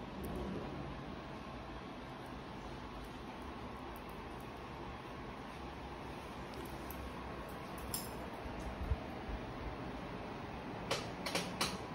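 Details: Quiet indoor room tone with a steady fan-like hum, a few faint clinks and ticks near the end, and no animal voice.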